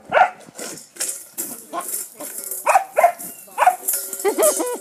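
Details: Foster pup Jet in Bulverde barking at a rock under his bowl; several high, yelping barks mixed with clattering and a person's voice.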